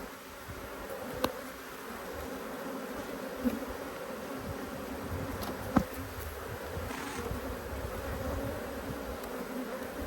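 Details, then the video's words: Honey bees agitated by a hive inspection keep up a steady, dense buzzing drone. Occasional sharp clicks from the beekeeper's handling of frames break through every few seconds. "When Bees Go Wild - Inspecting Two Angry Hives"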